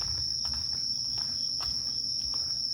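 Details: Evening chorus of insects around the peaceful old fishing town of Ine, Japan, after dark: one continuous shrill ringing tone with no breaks, over a low rumble and faint scattered clicks.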